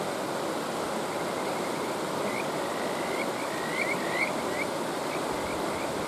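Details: Kajika frog by a stream, starting after a couple of seconds with short upswept whistles, then a quick run of notes and a few spaced rising calls, over a steady roar of flowing water.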